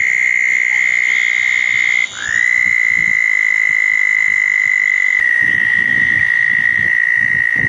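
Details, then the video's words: Several southern toads at a pair of small ponds on a wet June night, 2014, after a thunderstorm: one long high trill stops, a new slightly lower trill rises in and runs on steadily, with soft low knocks and rustles. "Toads in the pond, frogs in the trees- a wet night"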